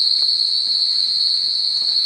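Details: A nocturnal rainforest chorus at the Singapore Night Safari: a sustained, even, shrill tone at high pitch, slightly quieter, over faint low background rustle.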